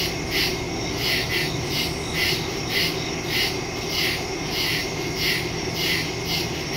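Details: Crickets calling in woods after dark, recorded September 2, 2023 on a Samsung Galaxy S22 Ultra phone with Shure MV88+ stereo microphone: high raspy chirps pulsing about every half second, laid over a continuous thin ringing insect tone and a dull low hum.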